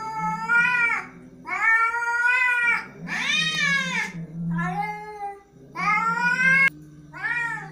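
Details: Angry cat caterwauling in a series of six loud, drawn meows, each about a second long with a wavering, bending pitch, separated by short pauses; a low hum sits underneath.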